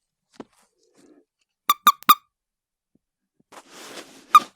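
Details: A 'scolding' toad gives a quick run of three sharp, bright squeaks, then a lone squeak after a stretch of soft rustling. Faint thuds come before them.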